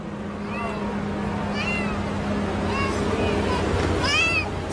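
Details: A cat trapped in concrete cement gives short, thin, high meows about once a second, the last one louder and more strained, over a steady low engine-like hum and background noise.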